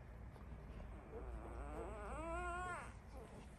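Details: One-week-old Labrador Retriever puppies: a drawn-out wavering whine with rich harmonics, starting low and rising then dipping over about two seconds, a few softer whimpers before and after, steady low rumble beneath.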